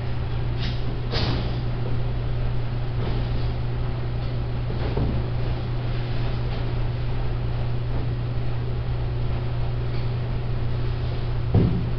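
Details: A steady low electrical hum runs throughout, with a few faint knocks and rustles and no animal voice.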